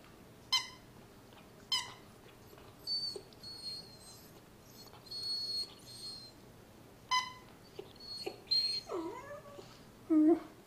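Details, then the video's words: Miniature Poodle named Sarah crying while attacking a toy fox indoors: short high whines with stacked overtones, rising-and-falling squeaky tones, then quavering lower whimpers near the end, with quiet pauses between bursts. "Sarah Miniature Poodle cries while killing Mr. Fox."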